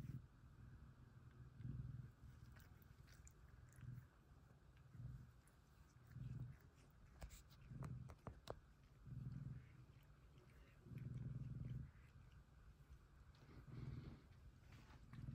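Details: Two male F2 Savannah cats cuddle while one purrs loudly, a low rumbling pulse that swells and fades with each breath.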